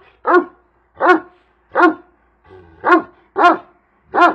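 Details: Big Kangal shepherd dog called Karabaş barking: six deep, full, harmonic woofs spaced roughly every 0.7 seconds, each short and punchy, with a faint low murmur in one gap.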